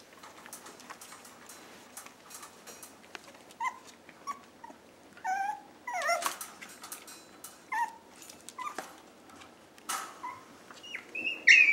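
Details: Chihuahua mix rescue puppies indoors; scattered thin, high whimpers and short squeaky yips come in bursts, some sliding upward, with soft rustling and shuffling between them.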